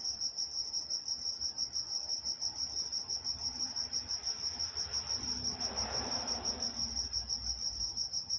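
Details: Nighttime crickets from Walnut, California chirp in a steady high pulsing trill; around the middle a brief soft rushing noise rises and fades beneath the insects.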